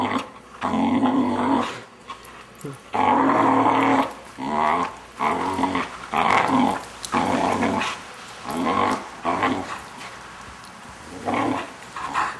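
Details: Six-month-old Vizsla producing odd growling moans while being played with by its owners indoors; repeated bursts of harmonic grumbling, loud at first and then shorter and softer toward the end.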